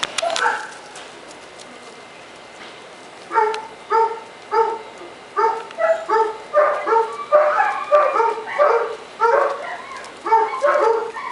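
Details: Puppies five weeks old, playing indoors, giving a long run of short whimpering yelps with bright harmonics, repeated roughly every half second in irregular bursts, after a quiet pause at the start.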